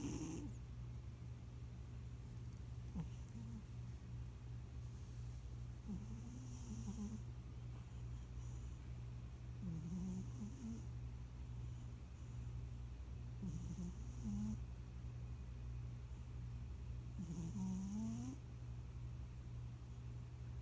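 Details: A plump male house cat, a recent addition to the family, snoring while asleep indoors. Soft breathy snores come at uneven intervals over a steady low hum, with faint squeaky nasal notes between breaths.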